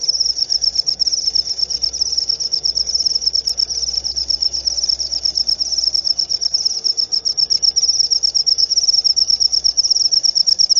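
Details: Steady cricket chirping, high and pure in pitch, delivered in rapid pulsing bursts without a break, with a quiet low hum and soft rumble underneath.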